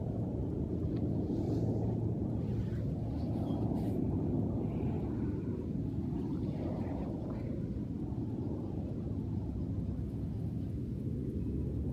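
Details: Steady low engine-like rumble fills the recording, with perhaps a faint murmur of voices and no clear animal calls.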